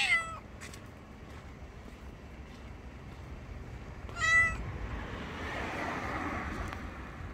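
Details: Grey and white cat beneath a bench gives two loud, short meows about four seconds apart, each with a falling tail, followed by soft rushing background noise.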